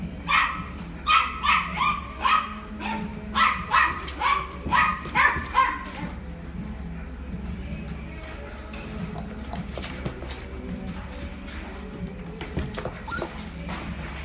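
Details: Red male Toy Poodle born 15 September; a run of about a dozen sharp repeated barks over the first six seconds, roughly two per second, then quieter background with faint voices and rustling.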